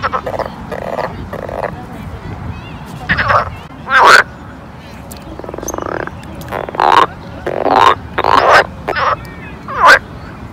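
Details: Pond frogs in summer giving rasping, broad croaks. Some are clipped and some are drawn out. They come thick in the second half, several in quick succession, over a faint background murmur.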